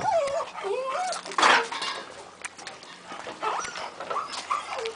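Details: Playful beagle Chica jumping around with Perla, a shaved bichpoo: a long wavering, warbling whine sliding up and down for about a second, then quieter whimpers, while a person talks softly nearby.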